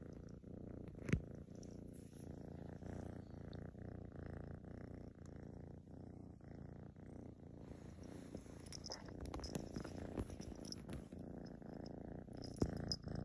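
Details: Tortoiseshell female kitten Lotus, half Maine Coon, keeps up a continuous low purr under close-up petting, its rhythmic rumble steady throughout, with occasional small handling clicks and rustles.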